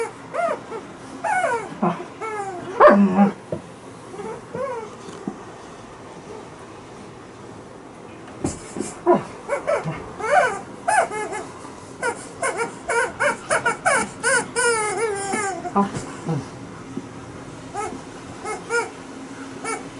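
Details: Liza, a female Alaskan Malamute, plays with a chicken toy on a bed. Bursts of high whines and bent yips come in uneven clusters, with quiet rustling gaps between them.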